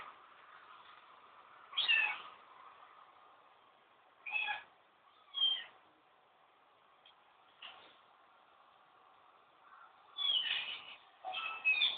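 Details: Kitten meowing in short, high, wavering cries, about six of them at irregular intervals, some in quick pairs, over a faint steady background hum.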